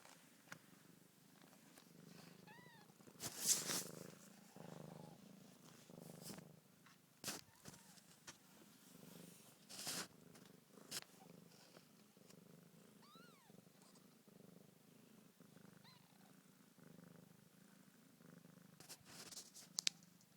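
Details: Mother cat with week-old kittens purrs continuously in a low, even rumble while rubbing close to the phone; thin rising squeaks from the kittens come twice, with scattered rustling bursts of fur and handling.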